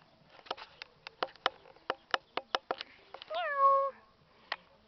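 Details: Angry female house cat during a fight, being chased by a male: a single drawn-out, falling meow lasting about half a second, preceded by a string of sharp clicking taps.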